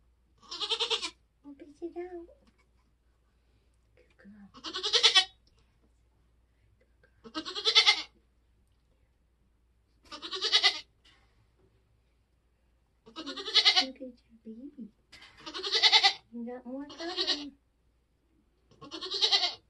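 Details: Nigerian Dwarf goats on a homestead during kidding season, a doe giving birth: eight loud, strained, nasal bleats spaced about two to three seconds apart, with softer low voices murmuring between them.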